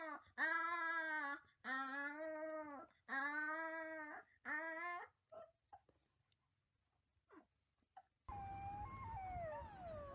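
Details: Wolf pups: four long, rich, steady howls with many overtones, then quiet with a few faint clicks. A different, higher wavering howl starts over a low hum at the end.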